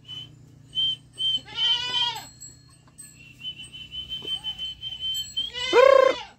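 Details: Goat kid giving two bleats, the first a shaky, quavering cry, the second louder and strained, separated by a thin steady high whistle and soft rhythmic pulses in the background.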